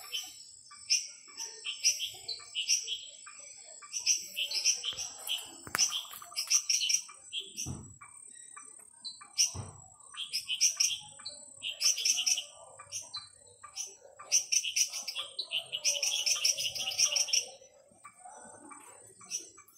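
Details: A night chorus of several types of small frogs in a frog garden gives high, sharp chirps and clicks over a steady insect hum.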